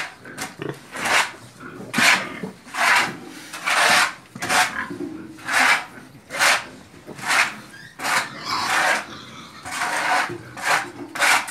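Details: Pigs and piglets belonging to Zura, a noisy group giving harsh, raspy broadband grunts and squeals in rapid bursts, roughly one per second, over a steady rustling background.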